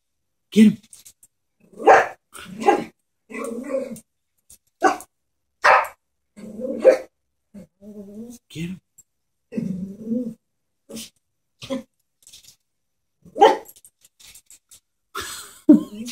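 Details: Chihuahua scared of a stuffed toy horse, indoors, letting out short, sharp barks scattered over about sixteen seconds, some followed by low voiced grumbling sounds, with quiet gaps between bursts.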